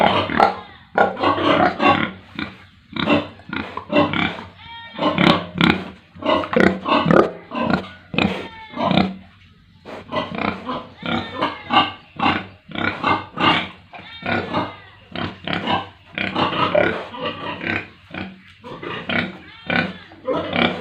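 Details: Pigs and piglets on a village pig farm in India: a dense run of short, harsh grunts and squeals, many animals calling over one another in rapid bursts, with brief higher squeals breaking through.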